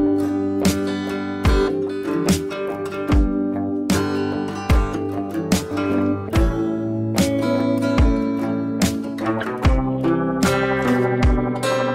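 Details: Strummed acoustic guitar music plays with rhythmic chords throughout, and no animal voice is heard.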